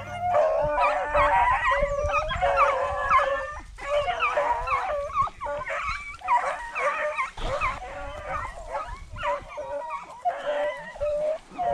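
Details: Beagle pack running swamp rabbits during a rabbit hunt; many dogs bay together in overlapping, wavering howls and yelps that swell and fade in waves roughly every second or two, forming a continuous chorus.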